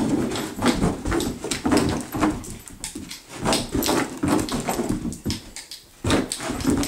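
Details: Pet dog indoors in a small room, frantically chasing a spun laser pointer; dense, rapid bursts of rough, broadband yelping and scrabbling noise, nearly continuous with brief dips, repeating several times a second.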